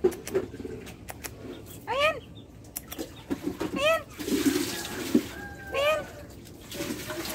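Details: Cat meowing: three short arched meows, rising then falling with bright harmonics, spaced about two seconds apart, between scattered clicks, taps and a soft watery rustle.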